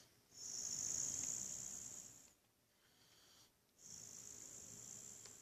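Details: Boxer dog Buddy sound asleep and snoring, a strong whistling hiss on each long breath, roughly two seconds on, followed by a softer, quieter pause before the next breath.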